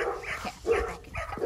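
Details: Golden Retriever puppy giving a few short, high, voiced yips and whimpers in quick succession, each a brief tonal burst with bright harmonics, separated by short pauses over about a second and a half.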